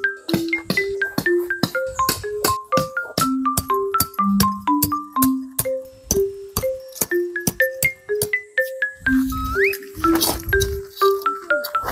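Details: A gentle electric piano melody of plucked, chiming notes plays at a steady pace, with a short burst of rustling noise near the end and no animal voices.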